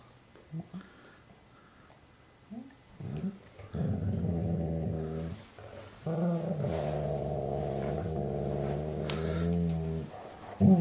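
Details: Sadie, a female German Shorthaired Pointer, makes happy noises while her Weimaraner sister Roxie cleans her ear. After quiet snuffles, she gives two long, low, droning groan-growls with a steady tone, the second lasting about four seconds.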